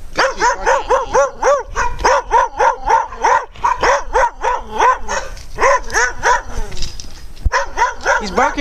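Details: Loud dogs barking at the person recording, a fast string of ringing, yelping barks about three or four per second, slightly rising and falling, with a short break near the end before barking resumes. A person speaks faintly.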